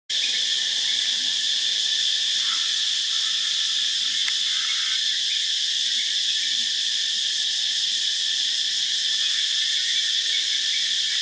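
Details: Cicadas on a morning in Phuket, a loud, steady high-pitched drone that holds without a break, with a band near the top of the range and a lower band beneath.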